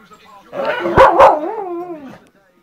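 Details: Two Staffordshire Bull Terriers, 10-year-old Daisy and 4-month-old Hope, in fighting play; a rough growl with two sharp bark bursts near the middle, then a wavering whine-like growl trailing off.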